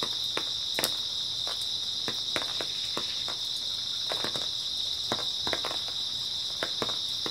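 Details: Constant shrill trilling from many grass insects fills an early autumn night, with sharp intermittent crunches and clicks sounding over the chorus.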